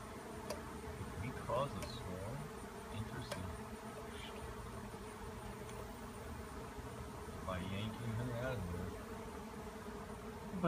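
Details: Swarm of honey bees swirling after a tree cutout, settling on many different limbs; continuous low buzzing drone throughout, with scattered people talking in the background.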